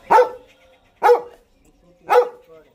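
A Doberman gives three loud, sharp barks, spaced about a second apart.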